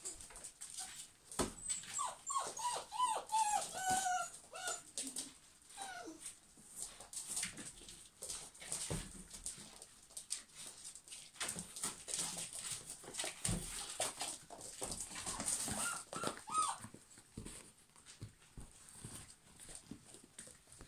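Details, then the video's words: German Pinschers indoors in a lively household, giving high whiny whimpers and short yips in a burst over the first seconds, then mostly thumps, scuffling and clatter with a few brief squeals later on. "German Pinschers Mad Dog House"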